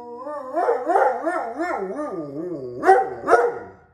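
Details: Alaskan Malamute 'talking' in a bear-like back-and-forth: a wavering, yodelling howl that rises and falls in pitch several times, ending with two sharper rising yelps, indoors.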